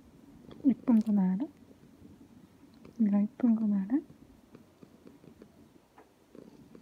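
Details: Pet cat Ao babbles beneath the owner's chair during work time, seeking strokes or a hug: two bursts of short, falling, harmonic mews, two or three notes each, then quiet room noise.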